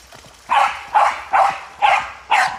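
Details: Cali, an Australian cattle dog, barking at river water while playing: five sharp, mid-pitched barks spaced about half a second apart, with faint background murmur between them.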